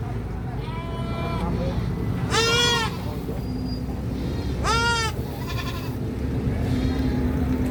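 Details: Goats scream: two piercing, harmonic-rich cries about two seconds apart, with softer bleats before, between and after them, over a low background hum.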